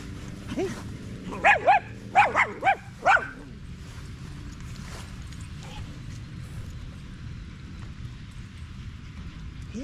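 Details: Staffordshire Bull Terrier on a long evening at the park with other male dogs, a 'wolf pack chat'. Five or six high, wavering whining yelps with bent, rising-falling tones come in a tight cluster over about two seconds, then steady low outdoor rumble.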